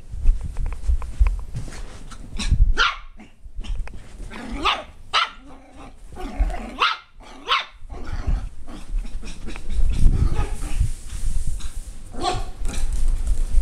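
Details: Border Terrier barking in scattered short, sharp yaps and a few growly bursts over constant low rumbling wind or handling noise, with irregular gaps between calls.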